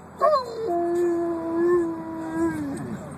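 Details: Pet dog Bruce gives a wailing howl, a quick high yelp-like start dropping to a long flat sustained tone with slight wavers, tapering off at the end, indoors.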